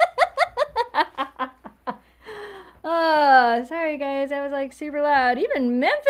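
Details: Siberian Huskies howl together during a live stream. A puppy, Eleanor, learning to howl from her older sisters, joins another dog, Memphis. A burst of short yelping notes gives way to long, wavering, rising and falling tones.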